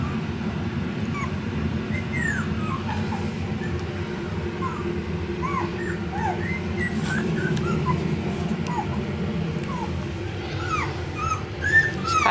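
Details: Whining from tiny Pomsky pups at four weeks old, 75% Pomeranian and 25% Siberian Husky: short, high, falling squeaks repeated irregularly throughout, some curling up then down, above a constant low droning background.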